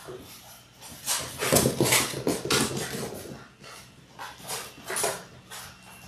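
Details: Six-week-old Labrador Retriever puppies from a litter of six born January 18, 2022, on an indoor live puppy cam; breathy, rhythmic panting-like bursts come about three times a second over a steady low hum.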